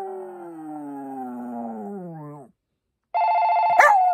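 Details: A long, mournful howl from Poppy the Maltese, steady then sagging lower over about two seconds, followed after a pause by a loud, even electronic ring with a short yelp on top.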